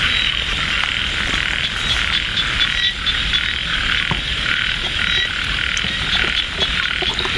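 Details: Frogs calling in light rain at Ban Na Suang, Det Udom district, Ubon Ratchathani, during a frog hunt with baited hooks; a dense, steady high-pitched chorus with scattered sharp clicks and taps.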